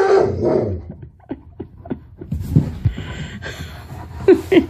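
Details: Tonka, an Alaskan Malamute, confronting a mannequin head indoors; a strong opening bark-growl, then a string of short soft huffs and yips, ending in a few sharper high yelps while a woman talks to him.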